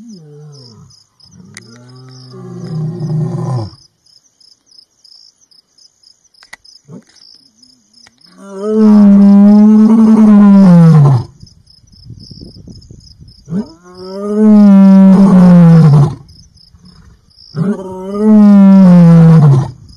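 A lion gives deep, drawn-out roars, each swelling then falling away, repeated every few seconds.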